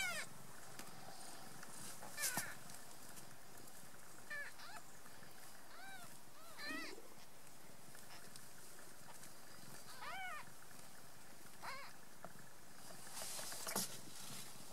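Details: Squabbling three-day-old kittens, the owner's own cats, kicking and quarrelling. They give short rising-falling mews scattered through the recording, about six in all, some overlapping, with faint rustling between them.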